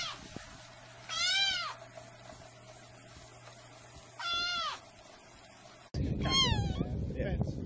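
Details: Cat meowing incessantly, two clear arched meows separated by quiet hum, then an abrupt cut to a noisier scene with another meow over low rumbling background.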